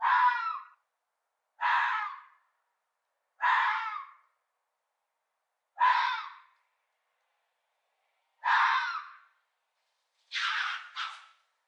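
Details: Fox. Raspy, strained screams from a fox come one at a time with short silent gaps, the last breaking into a quick double cry. These loud, broad-toned shrieks are given during mating.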